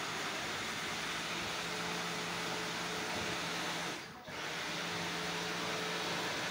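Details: Indoor fan or appliance hum with a steady low drone and a brief dip near four seconds, no animal voice heard.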